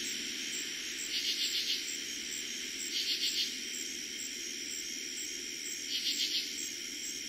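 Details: Eastern Pennsylvania katydids on a summer night in 2021, the season's first: three scratchy bursts of four rapid pulses, separated by roughly two to three seconds, layered over constant cricket trilling.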